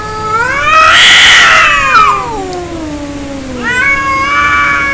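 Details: Fighting cats, angry: a loud swelling yowl that rises then slides down into a low drawn-out moan, followed by another steady wavering wail.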